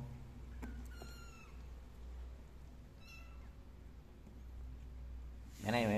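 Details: Kittens crawling out of pots while the mother cat licks them, indoors: two short, thin, high kitten meows, the first slightly wavering, the second briefly after three seconds, over quiet room hum, ending with a man starting to speak.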